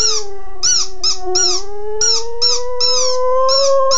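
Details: A puppy that wants its toy gives one long unbroken howl, slowly rising in pitch over four seconds, set against music with quick high chirping bursts throughout.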